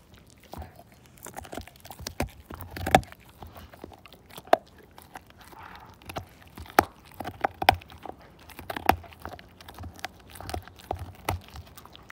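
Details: Siberian Husky called Slim chewing a bone to nothing indoors, teeth on bone giving a steady run of sharp cracking bites and crunches, some louder snaps spaced through.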